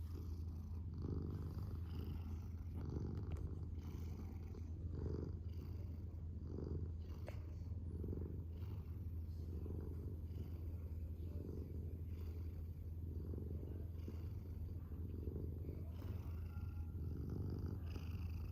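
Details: Long, unbroken purr from a male domestic cat indoors, deep and rumbling, rising and falling rhythmically with breaths about every two seconds.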